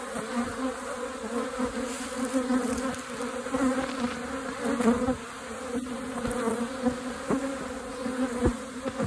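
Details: Agitated, feisty honey bee colony, very strong and three boxes deep, in southeast Alabama at the start of bee season; a dense, steady buzzing drone with layered hum bands, swelling and easing, with a few sharp clicks.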